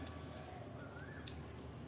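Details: Crickets calling outdoors among trees with sunlight filtering through, a continuous high, shrill drone that holds steady without breaks; one faint brief whistle drifts in midway over a soft low background hum.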